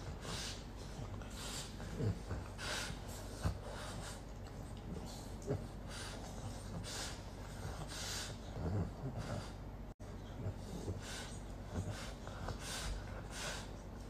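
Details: Slovenian French Bulldog pair Isa and Hugo, moving from fighting to sleeping and cuddling; loud, hissing snorts and wheezy breaths repeat roughly every second in a steady rhythm over low background rumble.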